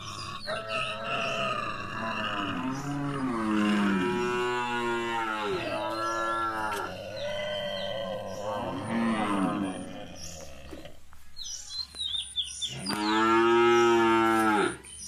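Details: Long, sustained mooing from Gir cattle during milking: several rising and falling bellows run together for about ten seconds, then a brief quiet and one more loud moo.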